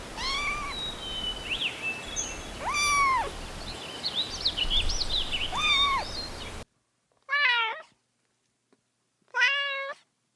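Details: Outdoor kittens chasing pine cones on green grass give several arched, rising-falling meows over a hissy background, then two louder, clean meows after an abrupt cut to silence.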